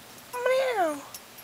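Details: Kitten from Sechelt giving a single meow, rising and then falling in a drawn-out slide of about half a second, with a person talking quietly around it.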